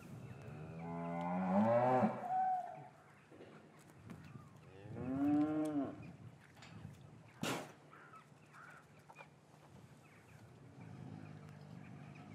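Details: Cattle in a traditional English farmyard on a winter afternoon after the calves were parted from their mothers. Two long, rising-then-falling moos about three seconds apart, a sharp knock soon after, then a soft distant low over quiet yard noise.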